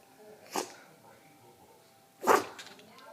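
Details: A dog whose allergy pills aren't working sneezes twice, about two seconds apart. Each sneeze is a short, breathy burst, the second louder than the first, heard indoors and quiet between them.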